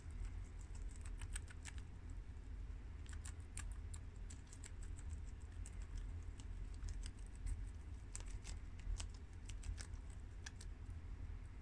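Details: Guinea pigs Shiro, Crash, Cookie and Peanut eat freshly washed garden romaine lettuce. Busy crisp chewing and leaf-tearing clicks follow each other rapidly in uneven runs, with a quiet steady low hum underneath.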